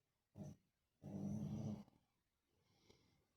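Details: Lhasa Apso asleep, snoring: a short low snort followed by a longer rough, grinding rumble, then quiet breathing.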